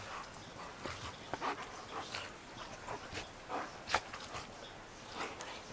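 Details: Two rescue dogs, Roe and Bella, a Shar Pei and a Bernese mountain dog–pit bull mix, wrestling and tackling each other in the snow; short breathy growls and snorts come in scattered bursts, roughly one every second.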